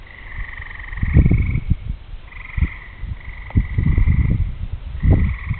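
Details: Frogs singing on a summer evening as rain approaches, with distant thunder stated: long, buzzy, pulsed trills that overlap and alternate, broken by loud, low thumping rumbles in irregular bursts.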